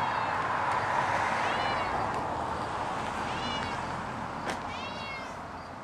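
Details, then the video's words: A pet cat escaping from a balcony gives three thin, high, wavering meows spaced about a second apart, heard over a steady broadband hiss of outdoor background noise. "Mon chat qui s'évade du balcon Cat escaping from balcony"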